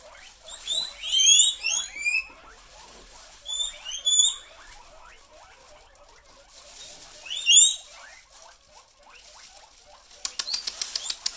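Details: Pet guinea pigs going wild at the rustle of a plastic bag give shrill, upward-sweeping squeals in bursts, with a steady background of quick, softer rising chirps and a rapid clicking rattle near the end.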